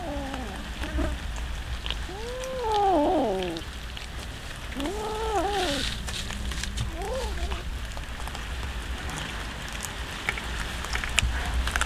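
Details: Several hungry cats being fed raw fish; a run of arched, harmonic meows, some in quick pairs, each rising then falling, spread over several seconds, followed by quieter chewing clicks and a low hum.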